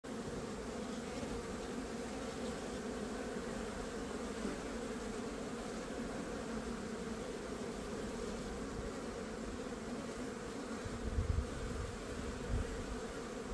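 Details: Honey bees crowding fresh comb during a hive inspection on a sunny day in Gloucester, a dense, continuous droning hum of many wings holding steady throughout, with a brief louder low rumble near the end.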